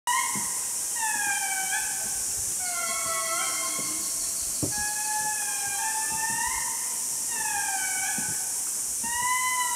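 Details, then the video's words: A troop of Indris sings in chorus at Andasibe National Park, Madagascar, with long siren-like wails sliding down and up over one another. "Indri Singing - Andasibe, Madagascar"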